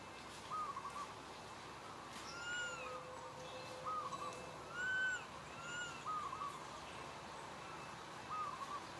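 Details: Baby monkey crying for its mother and asking for milk: a series of clear arched whistled wails with harmonics, repeated every second or so, some rising then falling. Faint high bird chirps and steady outdoor hiss behind.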